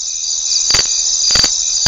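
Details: A cicada's steady, high, shrill buzz, unbroken from start to finish, played as an example of a species-specific song from a singing insect with tymbal organs; cicada.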